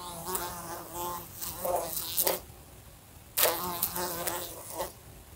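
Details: Indoor fly near a lamp, knocking against it: two loud buzzing bursts split by a near-silent gap, the droning hum wavering and surging, punctuated by sharp taps of impact.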